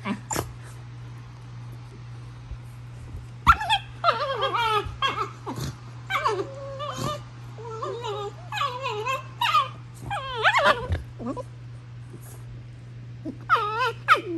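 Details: Female Basenji Prisca squeals in a mock-tough, wild-dog style toward Dabi, purely for show; bursts of warbling, yodel-like squeals and whines cluster in quick runs, then fall quiet before a final burst, with steady background hum.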